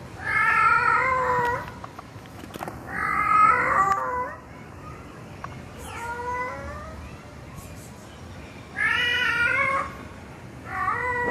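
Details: Tomcat calling a female cat, recorded in 2020: five loud drawn-out meows with rich stacked harmonics, each about a second long, coming in separate bouts roughly every two to three seconds over a steady background hiss.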